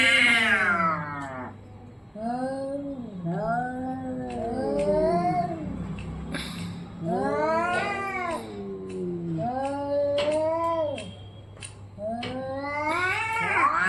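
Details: Orange and white cat in a fight, giving long drawn-out yowling caterwauls, rising and falling arched wails repeated in several bouts with brief pauses between them, plus low steady background hum.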